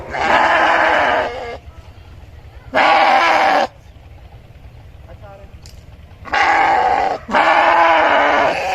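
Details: Sheep bleating: four loud, harsh, harmonic-rich bleats, each about one second long, with short pauses between them and a steady low rumble underneath.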